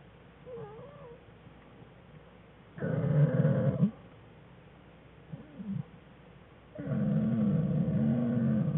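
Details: Black bear cubs Fern and Herbie with mother Jewel, curled together in their den on February 21, 2013: faint thin whines, then two rough, growly crying bursts about four seconds apart.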